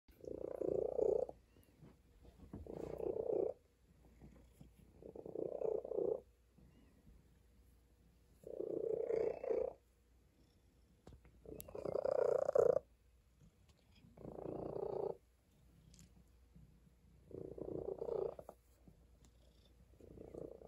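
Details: A tabby cat lying on a table purrs in steady rhythmic bursts, each rumbling phase lasting about a second and returning every two to three seconds, with quiet pauses between and a faint background hum.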